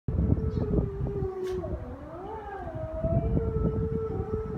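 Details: Captive wolves at the El Paso Zoo calling to one another: several overlapping, sustained tonal howls, one holding steady while others slide up and down, over heavy low rumbling background noise.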